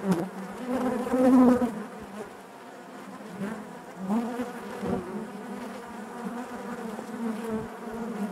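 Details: Honey bees humming within the hive; a loud close buzz wavers in the first two seconds, then a calmer steady drone continues with occasional swells and light knocks.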